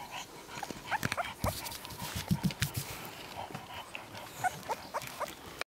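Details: One-month-old male English Bulldog puppy giving soft, short whimpers and squeaky whines in scattered bursts, with light rustling and handling noise throughout.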